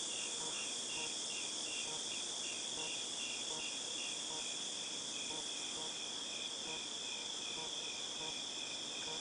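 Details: Cicadas calling in August 2018 make a continuous piercing whine, with clear short buzzy pulses ticking along at a steady quick rhythm underneath.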